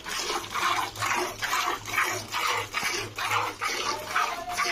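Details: Milk squirts rhythmically into a container during hand milking, about 68 strokes per minute, with splashing liquid and no animal voice.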